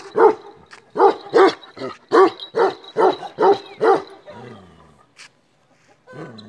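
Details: A black male Kashmiri Eksaya, Himalayan livestock guardian breed noted for ceaseless barking, delivers about eight deep barks at an uneven pace, then trails off into low whining sounds and quiet.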